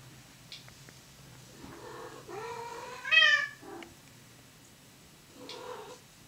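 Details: Domestic cats during mating, indoors: drawn-out, wavering meows that swell into a loud, rising yowl near the middle, followed by a shorter, softer meow.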